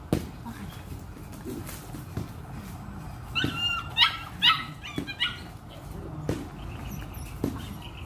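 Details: Hunter, a Belgian Malinois, during an introduction to bite work training, gives a cluster of high, strained whining yelps in the middle, between scattered sharp knocks and clicks, with a low human voice in the background.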